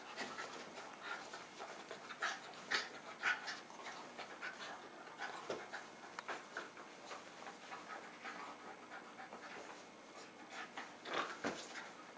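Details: Jack Russell Terrier pair Jasper and Jaclyn, almost three and a half, indoors in a Lenexa, Kansas house in late February 2011; soft irregular huffing pants, roughly two per second, with a few sharper bursts against quiet room hiss.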